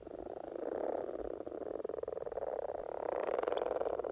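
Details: Spring courtship chorus of common frogs in Norway, a continuous low grating purr of rapid pulses swelling louder toward the end, with no other clear sounds.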